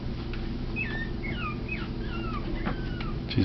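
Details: Teacup Yorkshire Terrier puppies from a litter of three, indoors, playing and tackling after nursing: a string of about six short, high squeaks, each sliding downward, over two and a half seconds above a steady low hum.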